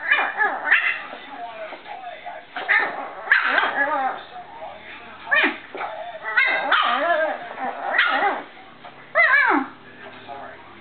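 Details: A Boston Terrier playing with her owner gives short, high, piercing barks and yelping whines, with a person talking in the background.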